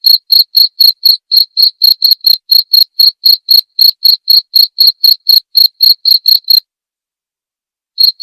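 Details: Cricket chirping in a clean masteran recording meant to tutor murai batu songbirds nightly. Crisp high pulses come about four per second, then stop for over a second before resuming. No other sounds.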